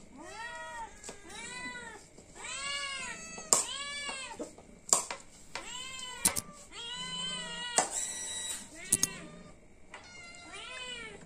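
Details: Hungry cat meowing for food while fish is being cooked, about ten arched meows repeated every second or so, with clicks, taps and a person talking softly in the room.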